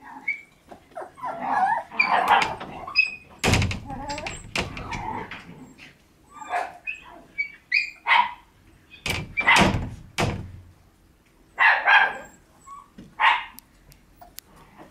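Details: Shiba Inu puppies born in August and September race about outdoors on a day of light falling snow; short high yelps and whiny barks come in irregular bursts, mixed with thumps and rustling from their play.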